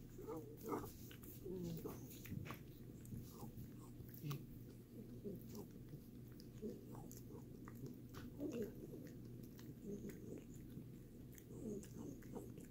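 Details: Pet dog chewing a Greenies dental treat indoors, steady wet crunching and mouth clicks repeated through the recording, with a constant low hum in the background.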